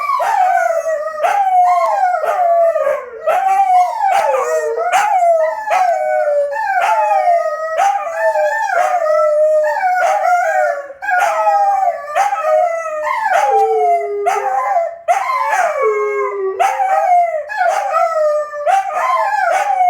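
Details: A long midnight chorus from the wolfdogs Lupo and Kano: continuous overlapping howls, many short rising swoops that settle into wavering held notes, punctuated by frequent brief yips throughout.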